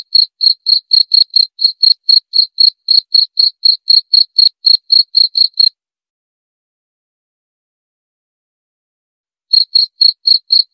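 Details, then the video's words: Cricket call used as insomnia therapy and a natural rat deterrent; rapid shrill chirps at roughly four per second, then a pause of several seconds before the chirping resumes, no other sounds. "Suara Jangkrik"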